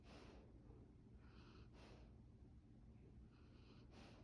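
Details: A Labrador Retriever puppy snores in deep sleep with soft, hissing, snorting breaths. Each rasp rises and falls, and the breaths come every second or two over a low, steady hum.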